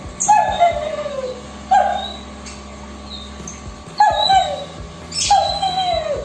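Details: A thin German Shepherd abandoned by its owner because of a severe skin disease, now cared for at a stray shelter, gives short falling whines about every one to two seconds, with a low musical hum behind.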